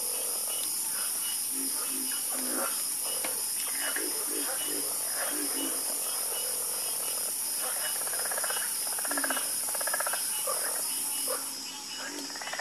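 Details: Many frogs croak together in a dense, busy chorus, with rapid rattling croaks overlapping for the whole stretch and a constant shrill insect hiss above. The insect hiss briefly drops away near the end.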